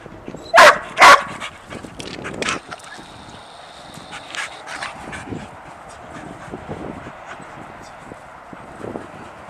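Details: Sadie, a dog jumpy with excitement over a squirrel out of sight, fires off two sharp barks in quick succession, then a softer bark and a long stretch of faint whines and shuffling with a steady background hum.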